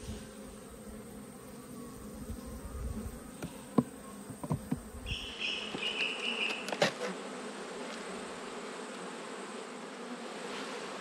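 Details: Honey bees humming during an autumn inspection of the beehives, a low steady buzz broken by sharp knocks and clicks as boxes are handled, with a brief higher whine midway.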